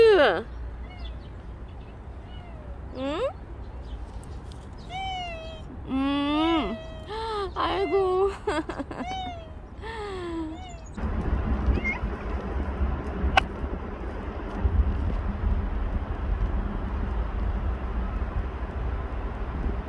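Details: Bolt, a stray cat known for a year and five months, meows repeatedly in clustered arched cries during the first half, followed by a stretch of broadband rumbling noise with no calls.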